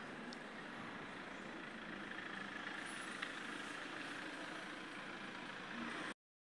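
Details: Steady, broad hiss of passing traffic fills the whole stretch with no clear voices or animal calls, then it cuts off into silence near the end.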